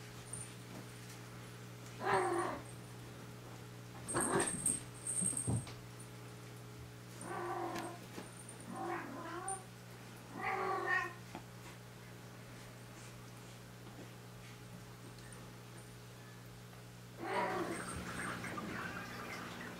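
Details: Cat in a ten-cat home, indoors: a series of short, scratchy mews spaced a few seconds apart, then a longer rougher call near the end, with quiet room noise between.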